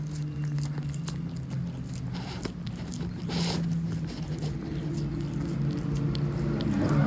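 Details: Elderly calico cat named Monkey, utterly mesmerised by a tuna treat, licking relentlessly indoors; quick wet smacking licks about four per second with a steady low hum behind.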